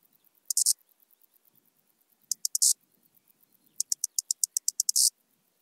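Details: Arcyptera microptera grasshopper in Zalahalap, Hungary, 18 July 2022, picked up with a Pettersson D 100 ultrasound detector after noise removal. Three phrases of very high, dry ticks that grow louder and end in harsh buzzy bursts, the last phrase about a dozen ticks long.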